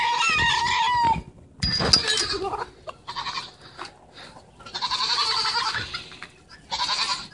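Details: Young goat bleating after getting its head stuck in a feeder; loud wavering bleats in bursts separated by short pauses, with a person speaking nearby.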